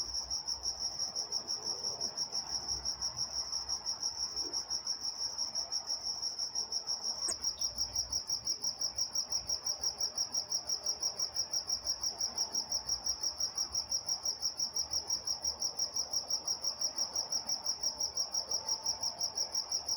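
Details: In Walnut, California, crickets chirp through the night in a very regular high-pitched pulse, about three per second, with a brief faint click partway and soft distant background sound.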